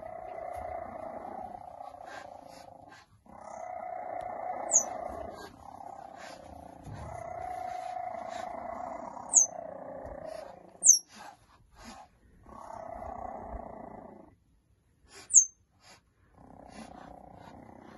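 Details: Three-week-old cheetah cubs, five siblings beginning to explore on hay, purr in repeated bouts of a few seconds each. Brief high, sharp chirps break in between the bouts.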